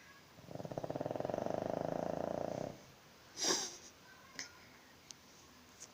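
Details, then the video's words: A pug snoring: one long rattling, buzzing snore lasting about two seconds, followed by a faint click and a soft voice in a quiet indoor room. "Pug snoring"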